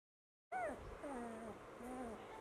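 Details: Labrador Retriever puppy whining: a few soft, drawn-out tonal whimpers, each gliding downward in pitch, heard over a steady background hiss.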